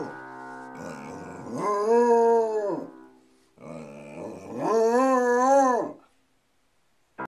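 A Basset Hound gives two long, rich howls that swell, hold steady, then fall away.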